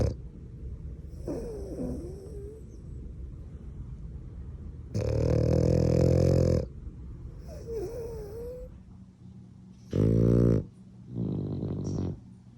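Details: French bulldog snoring in its sleep, a habit common to the breed because of its anatomy and sleeping position. Rough, buzzing snores come in uneven bursts, two longer and louder, among softer wheezy breaths.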